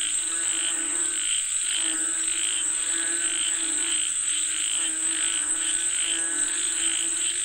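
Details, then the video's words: Frogs call together, as though calling up rain. Layered, buzzy croaks swell and fade in loose waves against a constant high-pitched hiss of insects. "Listen to the Sound of Frogs Calling For Rain 🌧️🐸 เสียงกบเรียกฝนตก"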